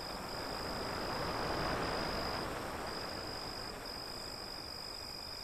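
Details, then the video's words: Steady high cricket chirping with short rhythmic breaks carries over a soft continuous roar of waves. "Crickets Sound"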